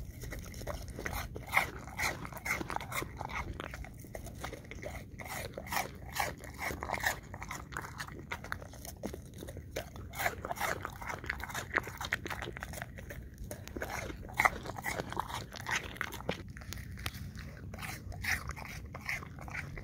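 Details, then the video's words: English Cream Golden Retriever eating apple chunks, with close, crisp crunching bites in rapid, uneven bursts throughout and wet chewing between them, over a steady low background hum. "Dog ASMR 1 Hour Long Looped - Eating Apple Chunks - English Cream Golden Retriever"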